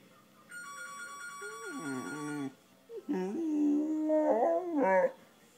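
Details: A 5-month-old blue Razor's Edge pit bull puppy at home howls in drawn-out, wavering notes after a steady electronic ringing tone. It is his first howl, set off by the phone ringing.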